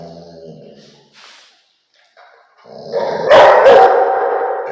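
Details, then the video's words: Rottweiler barking: a soft, drawn-out harmonic whine and low murmurs at first, then after a short silence one loud, harsh, rasping bark that tails off over about a second and a half. "Barking Sound Effect"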